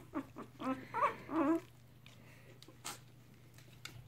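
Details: A brief cluster of three or four wobbly whimpers from three-week-old mixed Chihuahua puppies lying with their mother, then near quiet with a faint rustle and a steady low hum.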